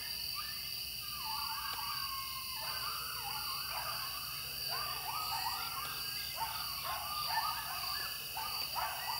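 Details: Several coyotes very close by in Wilkes County, North Carolina, calling together: long quavering howls break into rapid yipping notes that rise and fall, layered voices overlapping, with a constant high insect hum behind.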